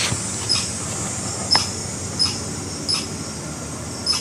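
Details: Alarm call of a red squirrel: about six short, sharp high chips at uneven gaps of half a second to a second, set against a constant low hum and hiss.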